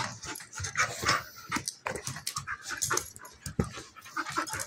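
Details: A German Shepherd puppy of almost a year and a half Golden Retriever mix, both female, wrestle in play: dense, rough growling, huffing and panting bursts follow one another with hardly a pause.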